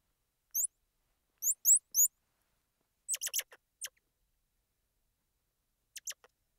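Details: Squirrel monkey giving thin, very high whistled chirps that sweep upward, some doubled, then a quick cluster of sharp clicky notes and a final pair of brief clicks, with nothing else audible.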